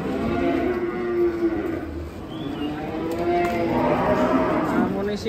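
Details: Giant cattle unloaded from a truck: overlapping long, low moos with steady harmonic bands, several animals calling over a continuous busy background, with faint voices.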